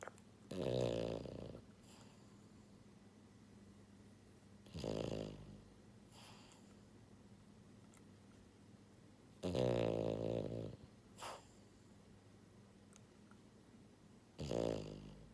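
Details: Deep, rattling snores from Buhiko, a pied French Bulldog girl born in January 2022, sleeping indoors; each harsh rumbling breath lasts about a second and returns roughly every four to five seconds, sometimes trailed by a softer snort, over quiet room hum.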